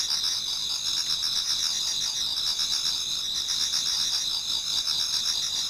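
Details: Toward dawn in autumn, many insects chorus in a Japanese garden. The sound is a shrill, rapidly pulsing high trill, dense and unbroken across the whole stretch.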